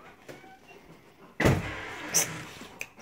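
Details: A parked car's power window hums and a door thumps shut, with faint background noise and no animal voice.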